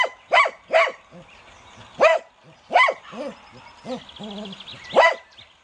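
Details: A pet Cocker Spaniel gives loud, clipped barks in an uneven series. Quieter low, wavering growly tones sit between the barks, and a soft rattling noise appears near the end.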